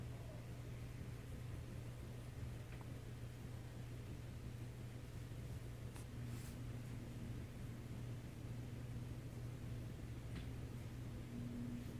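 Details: Steady indoor hum like a fan or appliance, with a couple of faint clicks and no animal sounds.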